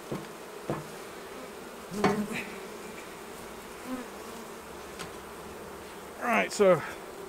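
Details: Honey bees at the hives during a honey harvest: a steady low droning hum, with a few louder buzzing fly-bys that swell and bend in pitch as single bees pass close, near the end especially.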